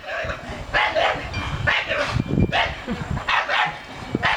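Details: Ageing 13-year-old male dog barking on the command to speak, about one rough bark per second at an uneven pace, with a man talking over the barks.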